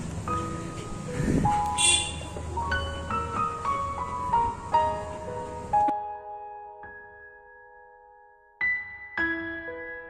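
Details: Chiming mallet-percussion music with faint speech, a bright clang near two seconds, then quieter sustained notes before the chimes return.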